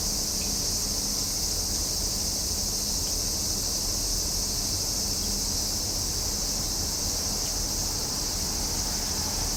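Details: Cicadas singing in summer in Japan: a steady, unbroken high shrill drone that never pauses, with a faint low hum beneath.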